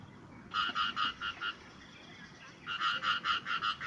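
A frog gives bursts of rapid, bright, pulsed croaks, each note about a fifth of a second apart.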